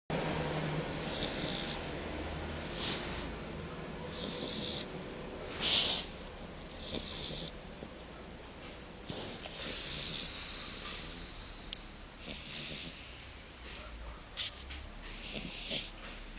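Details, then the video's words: Fiona, a Shar Pei puppy, snores while fast asleep: soft, breathy rasps rising and falling about every second or two, with a few louder snorts near the middle, over a low background hum. "Shar Pei Cachorro Roncando"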